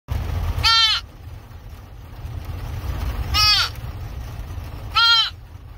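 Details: A deer fawn gives three short, nasal bleats spaced a couple of seconds apart after being rescued.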